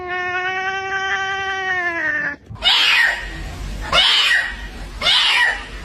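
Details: A domestic cat gives a long, steady, tonal yowl, then three harsh, breathy hisses or spits.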